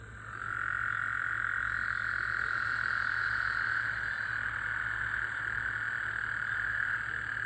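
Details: Several Gulf Coast toads at night following rain, 24 June 2024, give one continuous droning trill that swells in after half a second and runs unbroken to the end, with a low steady hum underneath.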